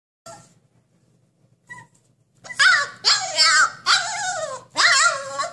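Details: Husky puppy trying to break out of its cage, indoors: after two faint early sounds, a run of loud, high, wavering whines and yelping cries in quick bursts over the last three seconds.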